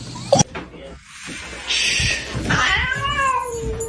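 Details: Domestic cat meowing amid a household scene, a drawn-out, gently falling meow near the end over people talking and background noise.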